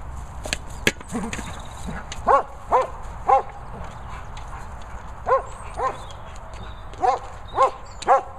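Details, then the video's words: German Shepherd dog playing with a boomer ball, giving short, harmonic yipping whines in uneven bursts, about eight over several seconds, some in quick pairs, with faint clicks and low background rumble. "German Shepherd Lucy loving the boomer ball."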